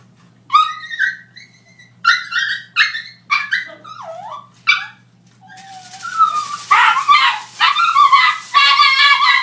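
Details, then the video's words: Chihuahua reacting to aluminium foil: a run of sharp, high, harsh barks in uneven bursts roughly once a second, then a stretch of louder, rising whiny barks and yelps, with a faint low hum underneath. "Chihuahua vs aluminum foil"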